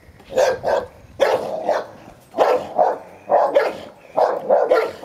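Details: Ten-year-old Hovawart Sherlock minds his toy as one-year-old Am. Staff Heini plays rough; loud barks fall in quick doubled pairs, roughly ten in five seconds, harsh and mid-pitched.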